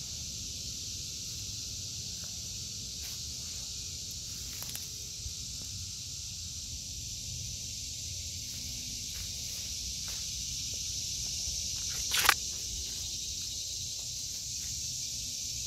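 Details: Cicadas sing a sustained, level, high-pitched hiss across an August 2023 garden of vegetables; scattered clicks and a sharp knock near the end break through the steady drone.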